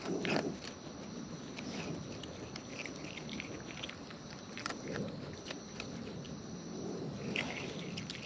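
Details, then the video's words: Close-up chewing of wild raccoons as they eat: a steady patter of moist smacking and crisp little bite clicks over faint outdoor hiss, a slightly louder burst near the start. "Wild Raccoons & ASMR Chewing Sounds"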